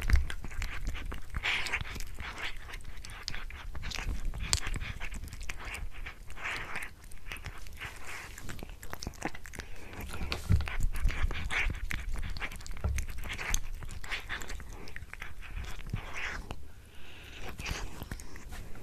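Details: Pet cat eating a tuna mini stick indoors, close-up chewing: dense bursts of soft clicks and crunches with wet smacking, steady through the stretch, some panting-like breaths, low room rumble beneath.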